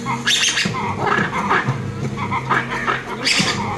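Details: Lemurs fighting and calling: sharp harsh squeals and chattering bursts come in clusters every second or so, with a steady low hum and a faint tonal background throughout.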